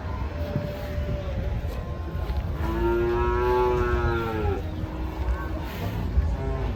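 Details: Moo from an agitated, hefty cow as it is loaded onto a truck: a soft low call first, then a strong two-second bellow, steady with a slight downward bend, and a shorter follow-up, over constant low rumble.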